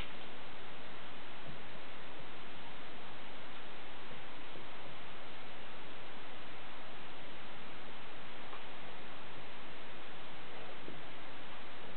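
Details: Steady hiss-like noise fills the recording throughout, with no animal sounds.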